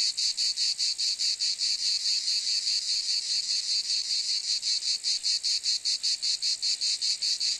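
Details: Steady, piercing cicada buzz pulsing at a regular quick beat, roughly two or three throbs each second, sustained throughout with nothing else audible.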